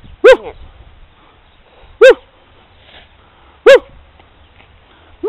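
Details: A female chihuahua puppy called Snowball, playing happily in snow near a sculpted snow pup, lets out four short, bright yips at uneven gaps of one to two seconds, with little else audible.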